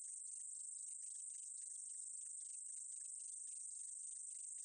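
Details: Meadow katydid from a 2020 Korean insect sound collection: a steady, very high-pitched hiss held without a break, with fainter rapid ticking and clicking scattered beneath it throughout.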